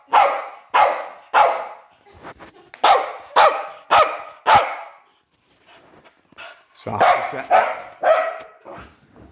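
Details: Sharp, loud barks from a young Patterdale/Fell/smooth Lakeland terrier cross named Estacado, 10.5 months old. The barks come in quick runs of three or four, then a pause with faint soft sounds, then another burst.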